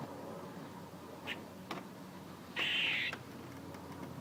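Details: A squirrel making noise: faint short ticks, then a single loud, rasping, buzzy note lasting about half a second against quiet background hiss.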